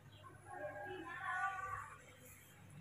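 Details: Baby monkey Mobi, a hand-reared young monkey, protesting in the morning when told to walk on the floor: a drawn-out, harmonic wailing cry that swells and bends over about a second and a half, above a low steady background hum.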